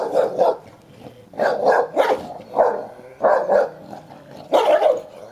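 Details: Play-fight over a toy between Sherlock, a 10-year-old Hovawart, and Heini, a young Am. Staff.: rough, grumbling barks run together with growly undertones, coming in five uneven bursts about once a second.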